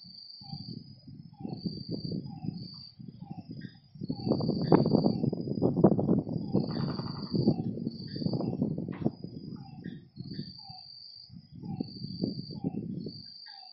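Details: Frogs calling at night by a lake: bursts of low, rough croaking pulses repeated in groups, with a steady high insect-like trill in short bouts above and faint higher chirps.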